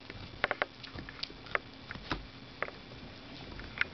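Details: A female dachshund chews a new rawhide bone at Christmastime. Sparse, sharp, separate clicks of teeth on hide fall roughly every half second against a low, steady hiss.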